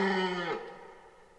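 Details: Tail of a red deer's rut bellow, recorded in 2023 in Parc naturel de Boutissaint. A loud, gruff roar lasts about half a second, then fades quickly into quiet.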